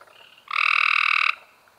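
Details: A single Cope's gray treefrog, May 2016, gives one rapid, rasping trill lasting under a second, abrupt at start and end, over a quiet background.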